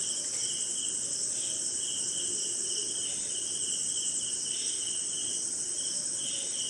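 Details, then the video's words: Night insect chorus recorded during rain in India: a constant, piercing high cricket trill, with a lower chirping layer that swells and fades in uneven pulses every second or so. "Cricket & Swamp! Forest Sound"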